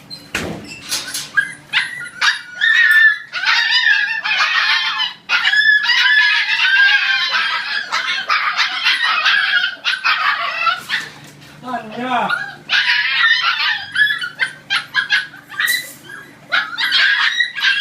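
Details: Siberian Husky puppies at dinner time eating together, giving many high, squeaky whines and yelps that overlap almost continuously, with one short descending wavering whimper near the middle and a low steady hum underneath.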